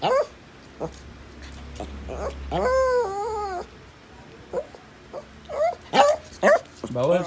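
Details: Shih Tzu being offered scrambled egg and eggplant at breakfast; a person speaks, then a long wavering whine mid-clip, followed by several short rising whimpers near the end.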